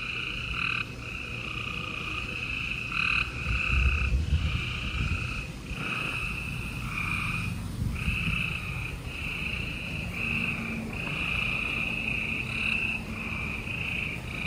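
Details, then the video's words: Gray treefrogs calling on a spring night, 28 April 2020, in Houston, Texas: a dense, steady layer of short buzzy trills from many frogs, softer and more distant, over a low rumbling background. "Gray Tree Frogs Chorus"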